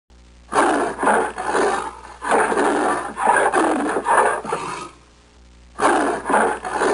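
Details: An Amur leopard (Panthera pardus orientalis) at a zoo gives a series of harsh, rasping grunts in quick succession, then pauses and resumes.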